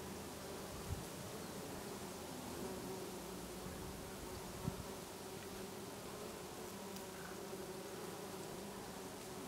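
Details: Bees feeding on lavender in a Brittany garden in August, heard as a dense, continuous buzzing drone from many insects, with a couple of soft knocks and faint background hiss.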